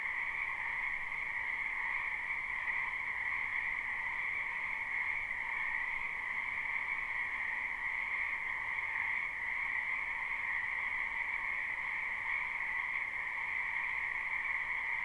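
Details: Spring wetland frog chorus from a live, unlooped recording. Countless callers blend into a constant, shimmering trill with a higher and a lower tone, holding an even level throughout, and nothing else stands out.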